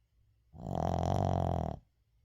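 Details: Deep rattling snore of a sleeping Shih Tzu, Uijung, at home: one long, swelling, grunting breath of over a second that rises in loudness and fades out.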